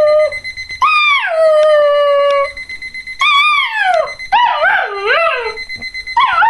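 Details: Puppy Revel, a Border Collie, reacts to an alarm clock with long sustained howls that fall in pitch, then a run of wavering yodel-like yips, the alarm's steady beeping sounding underneath.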